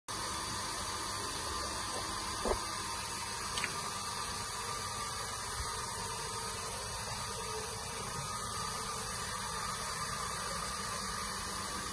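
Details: On a dairy farm, a constant mechanical drone like a pump or motor runs throughout, with a couple of brief clicks near the start and no animal calls.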